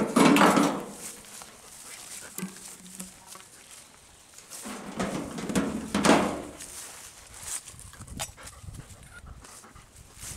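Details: Golden Retrievers, a parent and offspring family of Kohaku, Ibuki and young Bis, out walking in Osaka Prefecture in spring, 4 April 2022; low, drawn-out whining vocal notes come in three separate bursts, with rustling and footstep noise between them.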